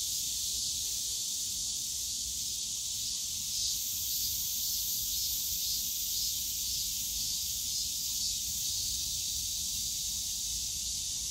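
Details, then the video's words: Cicadas calling on a summer day in the bamboo grove of Yongsan Family Park: a dense, unbroken hissing buzz, high and steady, with a faint pulsing texture and a slight shift in tone near four seconds, over low park rumble. "용산가족공원 대나무숲 매미소리"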